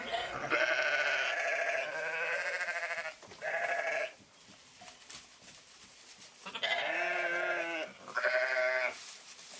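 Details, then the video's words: Sheep bleating in long, quavering, nasal cries, four drawn-out calls separated by short quiet gaps. "Pure Sheep Voice"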